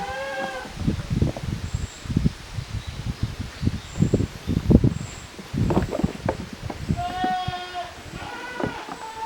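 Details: Young goat kids, offspring of Koharu and Okayu, playing in two teams in the exercise yard of a handmade goat farm on 13 June 2023; a short harmonic bleat opens, two more bleats near the end, with thumping hooves and rustling between.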